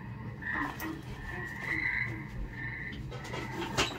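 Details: Tree frogs singing at a frog pond, on a 1969 record, call in a series of nasal, trilling notes, each about half a second long, over a low background rumble and a few faint knocks.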